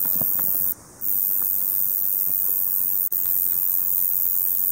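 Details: Male Roesel's bush cricket stridulating to attract females, active July to September by day; very high, continuous electric buzzing with only two very brief breaks, faint rustling and clicks below.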